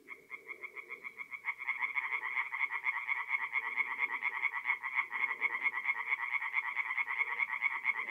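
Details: Tree frogs at a North-East Italian forest pond on a mid-April night: one caller's quick rhythmic croaking soon swells into a thick chorus of overlapping rattling pulses that continues steadily to the end.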